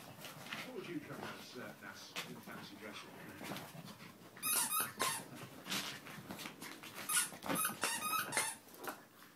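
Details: Three Chihuahua puppies playing together, giving high, squeaky yips and whines in short clustered bursts that grow louder toward the end, while people talk quietly underneath.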